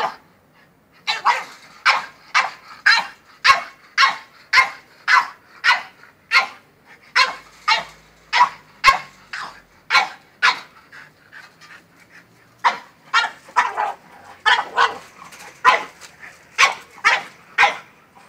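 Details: Frantic French bulldog barking at a goat: a long string of rapid, punchy barks, slightly irregular in spacing, with a short lull before another quick burst.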